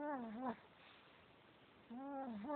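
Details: Male Chihuahua asleep, giving two whistly, nasal snores with wavering pitch, one at the start and one at the end, separated by a quiet breath.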